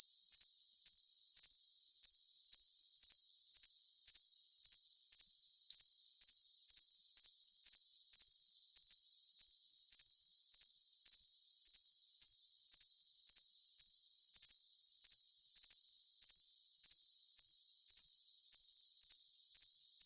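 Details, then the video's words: Unceasing shrill cricket song, a high metallic ringing pulsed into quick chirps near twice a second, with a faint upper overtone; the low range is completely empty. "Cricket Sound for Tinnitus Masking"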